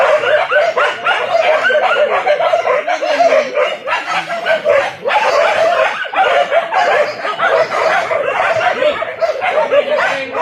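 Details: Village dogs on a traditional wild boar hunt with dogs and spears, a dense nonstop chorus of overlapping barks and yelps from several dogs, with scattered human shouts underneath.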